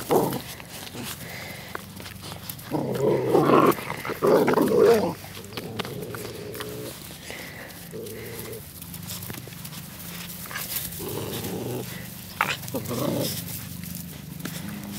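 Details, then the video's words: Puppies play fighting outdoors, recorded 1/4/2013: bursts of low rough growling and grumbling around three to five seconds and again near twelve seconds, with a person speaking a dog's name, Mercedes, and other voices between. "Puppies Playing"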